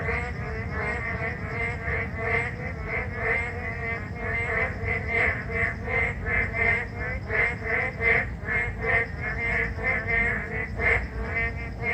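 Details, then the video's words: Narrow-mouthed frogs calling on a rainy day: a chorus of nasal, pulsed croaks repeating roughly every second, overlapping from several frogs, over a steady hiss of falling rain. "The sound of Narrow-mouth frog on a rainy day"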